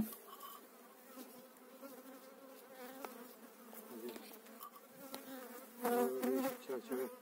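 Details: Honey bees from eight frames being transferred to a new hive in spring 2018; layered humming buzz throughout, with clicks and a louder, wavering burst near the end among handling noises.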